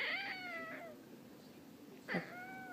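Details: Pet cat indoors, complaining and talking back while refusing to go upstairs; a drawn-out falling meow, then after a pause a second sharper meow, with a person urging it up.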